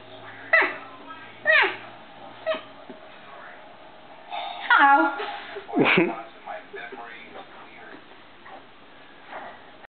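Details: A female Boston Terrier playing with her owner gives short whining, grumbling vocal bursts that swoop up and down in pitch.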